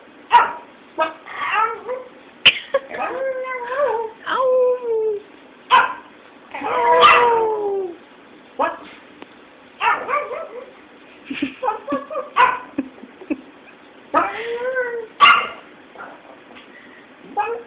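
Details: Female Pomeranian being taught to howl, mostly barking with a few tentative howls: short yappy barks mixed with wavering rising-and-falling howl notes, alongside people's voices and sharp clicks.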